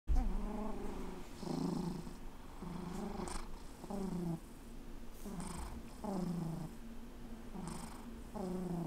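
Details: Alex, a fluffy rescue cat, purring indoors: low rumbling purr in rhythmic breath cycles about every 1.3 seconds, each cycle swelling and fading, with soft breathy noise.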